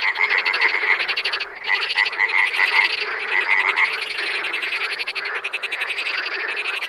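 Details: Frogs in the wild forming a loud, dense chorus of buzzy, pulsed trills that run almost continuously, broken by a short pause early on before the overlapping calls resume.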